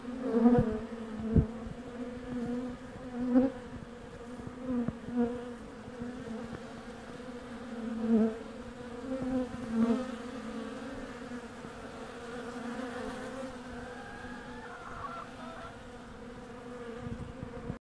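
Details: Wintertime hive entrance where an undertaker honey bee worker removes a dead nestmate from the landing board; a continuous droning hum with pulses of louder buzzing every few seconds and faint scraping knocks.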